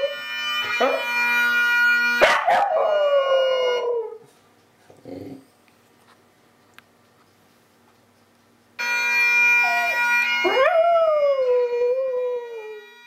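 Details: Tibetan Terrier Reiska howling with Scottish bagpipes: a rising yelp easing into a falling wail, the music cutting out to near silence for several seconds, then pipes return and another swooping, slowly dropping howl follows.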